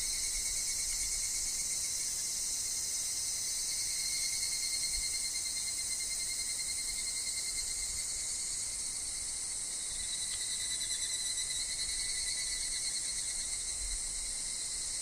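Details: In a wood where higurashi sing, with wind and falling leaves: a long unbroken shrill insect drone, high and rapidly pulsed, shifting slightly in pitch partway through, with a thin lower whine persisting.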